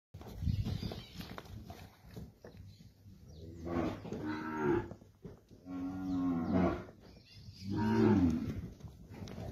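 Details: Nelore and Nelore-cross calves, part of a group of 23 aged seven to eight months, near Monte Aprazível, São Paulo, Brazil: three deep, harmonic-rich moos from about the middle onward, each around a second long, over low background rumble.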